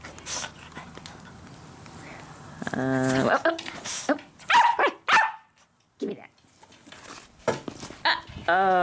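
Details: Daisy, a six-month-old Yorkie Poo puppy, growls indoors while guarding her first pumpkin at Halloween; short wavering growls and a sharp bark-like burst break through a person's playful teasing talk.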